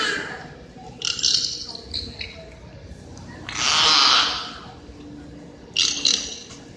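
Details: Captive beluga whales in the indoor Wild Arctic exhibit at SeaWorld Orlando, Florida, giving three separate bursts of noisy, high-pitched sound, the middle one longest at about a second, with a quiet gap between them.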